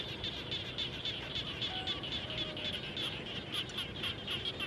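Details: Frogs heard near a house after rain, giving quick bright pulsed notes in a steady rapid series, several callers overlapping against a noisy background.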